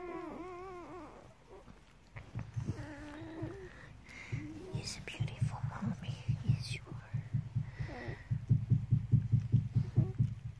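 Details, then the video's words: German Shepherd puppies feeding on their mother's milk, opening with a wavering whine, then soft rhythmic low grunts and suckling pulses repeating about twice a second, with faint squeaks above. "German Shepherd Nursing Sounds"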